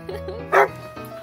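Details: Male Siberian Husky dog indoors on a bed on the morning of March 17, 2021, dancing and playing with a poop pillow; one short, loud, strained vocal burst over steady background music, with a woman speaking nearby.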